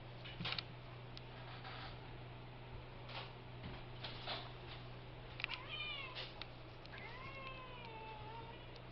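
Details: Pet cat's weird noises when he wants to attack something; after faint clicks and rustles, a few drawn-out descending meows with clear harmonics near the end, over a constant low electrical hum.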